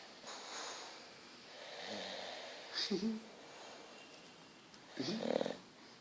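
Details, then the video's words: An English Bulldog named Petruchio snores while asleep indoors. Slow, breathy, wheezing breaths run through the clip, broken by two louder, rattling snorts, about three and five seconds in. "Bulldog inglês roncando"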